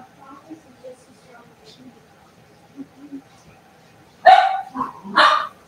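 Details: Cavalier King Charles Spaniel puppies playing indoors in a home puppy pen: faint rustling and soft murmurs, then two sharp, loud barks in quick succession near the end.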